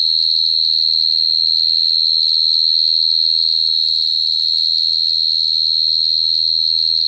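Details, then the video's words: High, ringing cricket song held at a single pitch throughout, its rapid pulses steady and even, backed by a faint overtone and low hum. "Cricket sound effect(cricket sound)"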